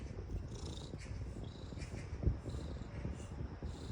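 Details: Purring house cat that likes being rubbed with a back scratcher, giving a steady deep rumble throughout with a brief louder thump midway and light scratching noises above.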